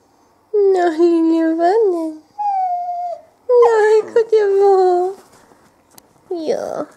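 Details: Female whippet puppy, 20 weeks old, indoors, 'talking': drawn-out moaning and yowling notes that slide up and down in pitch, given in several bursts with short pauses, ending with a brief higher whine.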